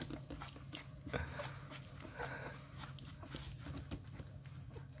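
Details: Eleven-day-old Rottweiler puppies at a kennel, hungry before feeding time and bottle-fed because their mother lacks milk, sucking and licking at fingers: rapid wet smacking clicks in a steady patter, a low hum beneath in a small indoor room.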